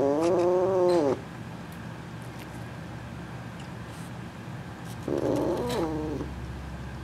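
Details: Female F2 Asian Leopard Cat hybrid, kept indoors, perched on top of a refrigerator and vocalising at her owner: two drawn-out, steady, harmonic meows, the first about a second long, the second shorter after a pause, with the room's quiet hum.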